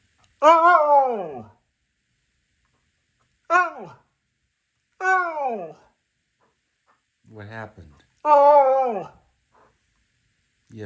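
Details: Siberian Husky named Taco, indoors in the morning, vocalizing to wake its owners: five separate drawn-out, wavering whine-howls, each sliding downward in pitch, separated by silent pauses of one to two seconds.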